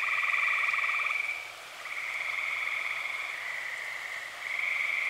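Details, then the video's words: Tree frog chorus on an early summer night in Eastern Pennsylvania, many frogs calling: steady rattling trills of one to two seconds overlap one another, with a short quieter gap before another trill begins. "Dozens of tree frogs sing"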